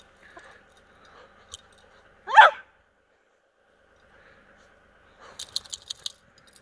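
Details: A Corgi playing in pre-dawn snow with other dogs lets out a single brief, bright yip that falls away fast, framed by quiet, followed by light crunching or jingling clicks.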